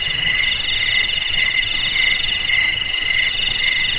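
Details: Cricket song, used to drive rats from houses, garages, storerooms and paddies, forms a dense, high-pitched ringing trill that pulses at a steady rate, unbroken throughout with nothing else audible.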